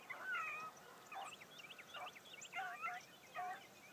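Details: A new Blackcreek gyp named Bee on her first morning run with other running hounds, giving distant bawling barks with bent, wavering tones, a few spaced calls over low background noise.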